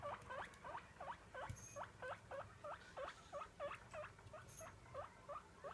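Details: Begging calls of the pet guinea pig Roko at feeding time: a quick, fairly even string of rising squeaky whistles, roughly three each second, clear over a quiet background.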